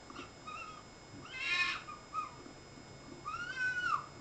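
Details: Three foxes recorded on 14 May call in short, whining cries that arch up then drop in pitch, some with a slight quaver; a brief, harsher raspy scream breaks in midway, against a quiet background.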